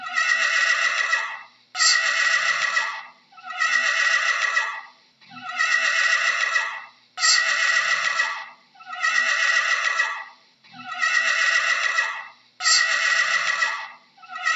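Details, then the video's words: A horse neighing again and again: eight shaky, rasping whinnies in steady succession, each about a second and a half long, with short pauses between. "How does a Horse sounds"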